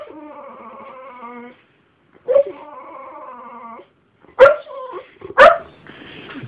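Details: A five-year-old English Bull Mastiff and a five-year-old Jack Russell kept as family dogs, recorded on a phone; two drawn-out wavering whines followed by two sharp yelping barks.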